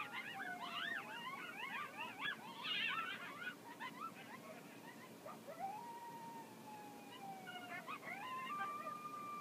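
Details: Several coyotes howl together in the Las Vegas wetlands in a chorus of quick wavering yips and long sliding howls.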